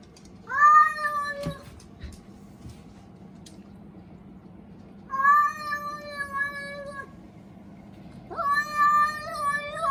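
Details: Indoors, a Munchkin cat 'speaks' to a fellow American Shorthair with three prolonged meows spaced several seconds apart. Each lasts about two seconds and opens with a rising swoop. The first is loudest, and the last breaks into a wavering, chattering tone.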